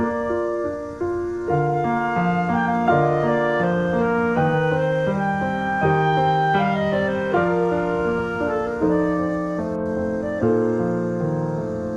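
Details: Piano and keyboard music plays throughout, a gentle melody of layered sustained notes, with no insect or other animal voice audible.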